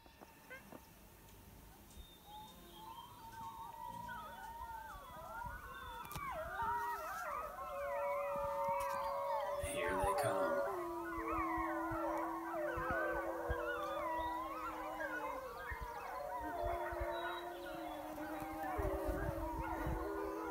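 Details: Wolf pack approaching a person by a high mountain lake after being called from about a mile away. Rising yips and wavering howls build into a busy overlapping chorus, then settle into long steady howls, with music and some speech.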